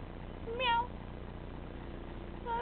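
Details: Pusslin, a Carib tabby kitten, at play: a short, bending meow rises and falls in pitch, then a second brief meow starts near the end, over a quiet room hum.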